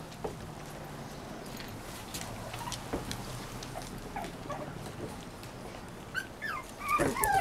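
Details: Playful six-week-old Cavalier King Charles Spaniel pups, tri-color and Blenheim, frolic outdoors on a deck beside their mother Diva. Soft scuffling patter leads to high, wavering whimpers and whines rising near the end.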